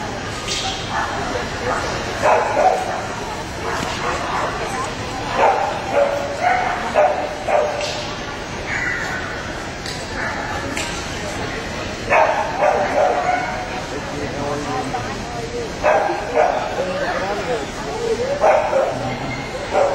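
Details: Samoyed puppies in the 6-9 month puppy class at an Atlanta specialty show, giving sharp, repeated barks and yaps in irregular bursts throughout, over steady indoor crowd chatter and voices.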